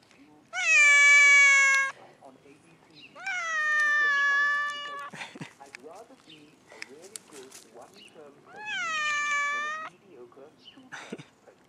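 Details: Cat crying loudly in three long, drawn-out, steady-pitched meows, each lasting over a second and separated by pauses of several seconds, with soft clicks and faint voices in between.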